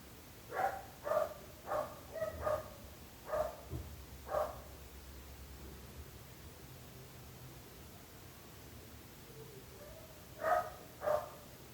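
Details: Dog barking, a nuisance to neighbours: a run of six sharp barks in under four seconds, a quiet gap, then two more barks near the end, over steady low background hum.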